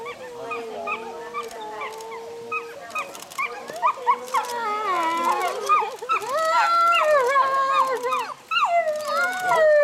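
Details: Timber wolves in a Japanese zoo howling together: one long level howl opens, then several voices join with rising and falling, wavering howls that overlap and grow louder toward the end.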